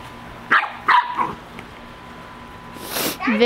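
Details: A Corgi playing with a soccer ball in a backyard; two short sharp barks near the start, then a rustle and a woman's voice.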